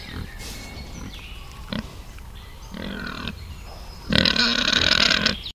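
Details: Wild boar in a forest setting, piglets mentioned: brief low grunts early on, a short buzzy grunting burst near the middle, then a loud, harsh, noisy squeal lasting over a second at the end, with faint birdsong behind.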